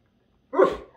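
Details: A male Great Dane "talking" to his bone gives a single deep, gruff bark that bursts out suddenly and fades quickly.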